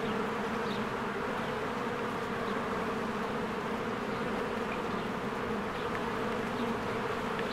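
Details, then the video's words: Many honeybees busy at their hive in spring, flying to and from the entrance; a constant low buzzing drone, with a few brief high bird chirps above it. "1 Hour of a Beehive ASMR"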